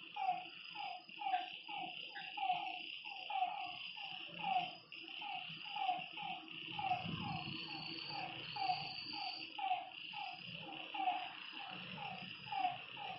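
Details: Frogs croaking at night beside a lake, repeated mid-pitched notes under a loud continuous insect drone, with a low rumbling noise rising near the middle.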